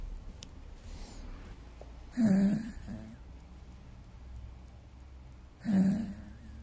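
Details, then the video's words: Pet dog asleep indoors, snoring: two loud, rasping, breathy snores about three and a half seconds apart, each swelling briefly then fading, with quiet room tone between them. "Will my dog wake up listening to his own snoring?"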